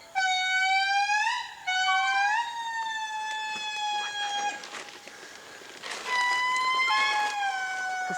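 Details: In Madagascar forest, an indri group gives loud, pure wailing notes that rise and glide down in long, siren-like phrases with brief pauses; the song, heard from miles away, announces the group's territorial claim.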